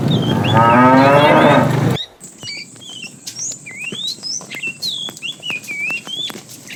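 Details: A tame cow in a herd starting its morning activity, roaming around looking for food, gives a loud, low, drawn-out moo lasting about two seconds; afterward, many small birds chirp and twitter in the background.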